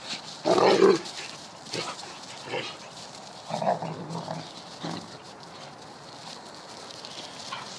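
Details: Deerhound pup Mackie squaring up to Rascal during a rough play session in a garden; a loud, rough growly bark bursts out early, followed by shorter grumbling growls spaced a second or two apart over a low background hiss.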